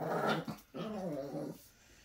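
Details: Dixie the Chihuahua talks indoors in a low, throaty growl-like murmur, one burst then a longer wavering grumble lasting under a second each.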